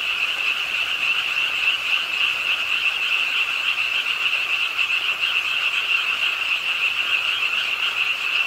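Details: Frogs croaking at a pond's edge in Ingye Art Park, Suwon, on a rainy late night, calling with the rainfall: a dense, unbroken chorus of rapid, overlapping high-pitched trills forming a steady shimmering wall of sound.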